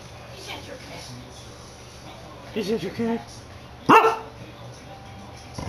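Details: Pet corgi "singing" to the household cat indoors, captured on a handheld game console; one brief wavering, tonal, howl-like note over quiet background, followed by a sharp loud burst and faint talking.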